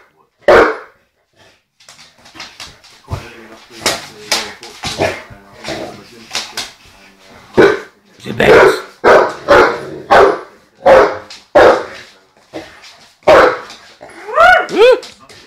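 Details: Bailey, a dog of about 12 months, barks at a broom, unhappy with the sweeping and vocal about his dislike; sharp barks come in irregular bursts, mixed with a person talking and brushing noises, ending in higher whining yelps.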